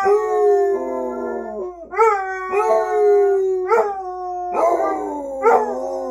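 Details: Two Basset Hounds, Maggie and Eeyore, howling together as they usually do: long, mournful, harmonic-rich howls that start high, slide downward and restart with fresh rising onsets about every one to two seconds, voices overlapping.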